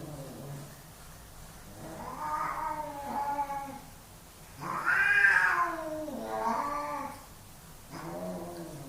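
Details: Pair of male domestic cats squaring off for dominance, yowling in long wavering tones; a rising wail builds to a loud peak around the middle, followed by falling moans and a final shorter cry.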